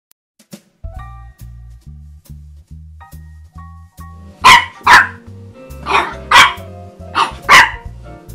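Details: French Bulldog puppy Cosette, on her first Christmas, barks at her Christmas stocking. Music plays alone for about four seconds, then six sharp, high barks come mostly in quick pairs over the continuing music.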